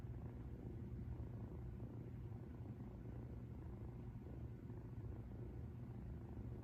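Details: Rescued female house cat purring while relaxed, recorded loud to feel like sleeping alongside her; steady low rumbling purr without pause, unbroken and even throughout.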